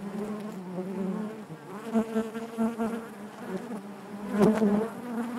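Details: Buzzing of honey bees within the hive, a rich low hum whose pitch wavers and pulses, with several louder swells and a strong burst near the end.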